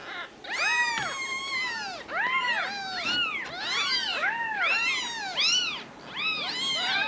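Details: Many Ragdoll kittens at a central Kansas home cattery mewing over one another, a near-continuous chorus of short rising-and-falling cries with bright harmonics.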